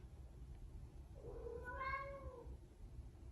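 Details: A domestic cat gives one drawn-out meow lasting about a second, rising and then falling in pitch, over a low, steady background rumble.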